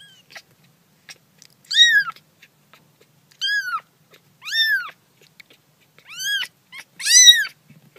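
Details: Five loud, piercing kitten meows, each a quick rising-falling arch, come about every one to one and a half seconds from baby cats at play, with near silence between them.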